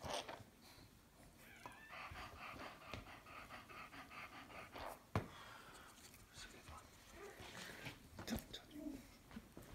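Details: Female Staffordshire Bull Terrier giving birth to the first of her five puppies indoors: steady rhythmic panting in quick breathy bursts, fading to quieter breathing and faint whimpers, with soft human voices and a sharp knock.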